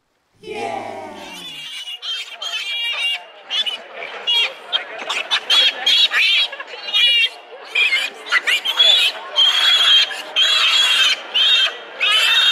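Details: Many piglets fighting for milk at a sow: dense, overlapping shrill squeals with strong harmonics, coming in bursts about every half-second to second, after a brief lower harmonic sound at the very start.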